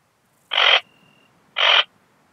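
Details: Ringed bush-cricket, Rhacocleis annulata, at Biedermannsdorf, Austria, 8 August 2022, picked up with an ultrasound detector (Pettersson D 100), noise removed: two short, harsh, broadband chirps about one second apart, with a faint steady tone between them.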